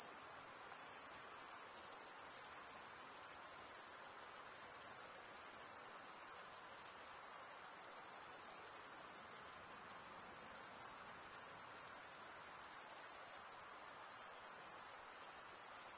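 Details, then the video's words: Unbroken high, shrill trill of crickets, an even metallic ringing with slight pulsing in loudness over sixteen seconds and nothing else audible. "Most relaxing cricket sound"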